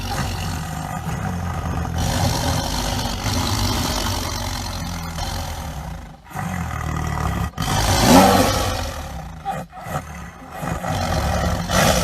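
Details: Panthera tigris, the tiger, giving drawn-out guttural roars and growls, low and gravelly, swelling louder around eight seconds before easing off.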